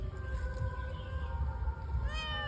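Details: Fish-greedy pet cat meows in a long, level, harmonic-rich cry, followed near the end by a second, higher, rising meow, with steady low hum and faint voices behind.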